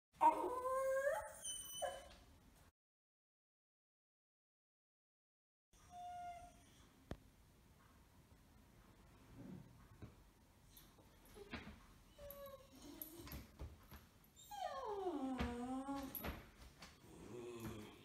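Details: A 6-month-old beagle puppy wearing a cone after sterilisation surgery, which the owner thinks has left him resentful, whines and yodels in wavering, rising and falling howls, with a quiet gap early on.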